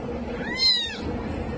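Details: Single brief, high meow from a domestic cat, arched in pitch and lasting about half a second, over a steady background hum.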